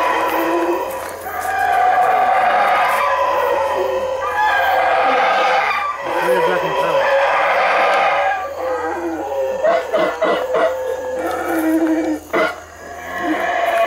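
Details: Loud, boisterous howler monkeys in a dense, growling chorus. Sustained roars build and surge for several seconds, then break into shorter, choppy bursts near the end.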